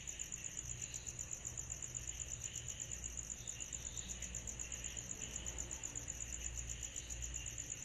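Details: Summer night cicada chorus, a high, bright pulsing trill beating about four times a second without pause, over a softer hiss band and a low background hum.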